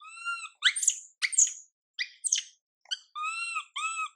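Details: Crying of the young monkey MILA, left uncomforted by her mother MILIKA: a drawn-out whine, then several harsh rising screeches, followed by steady harmonic wails at the end.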